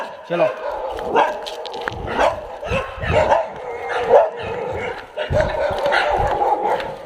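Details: Several dogs kept at a dog hostel in Jodhpur barking in loud, clustered bursts roughly every second, mixed with nearby human speech.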